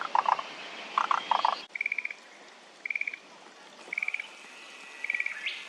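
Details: Frog chorus at Kamakura Central Park, Japan, 17 May 2024: lower clucking croaks in quick pairs at first, then high rattling pulsed trills repeated about once a second.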